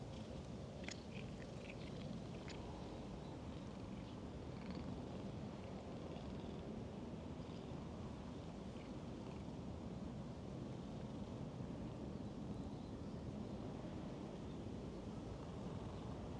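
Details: Talkative stray cat being petted, purring in a low steady rumble beneath constant wind and outdoor noise, with a few faint short high-pitched calls in the first three seconds.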